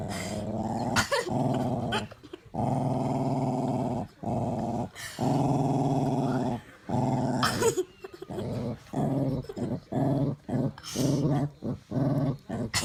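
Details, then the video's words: Domestic dog growling while guarding a bone from a child indoors; long, low rumbling growls lasting one to three seconds each, broken by short pauses and sharp clicks, continuing throughout. "Dog and child fighting over bone"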